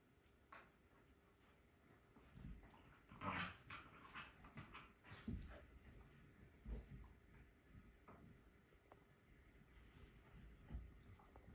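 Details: Two dogs, a Belgian Malinois and a Corgi, indoors at rough play on a rainy morning, chewing toys; low rumbling growls and whines rise in uneven bursts among scuffling and clicking sounds of mouths and paws.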